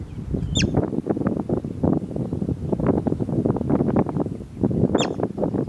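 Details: Bobak marmot, or steppe marmot, giving two sharp, high, downward-slurred whistles about four seconds apart, each very brief, over a steady low rumble of wind and rustling.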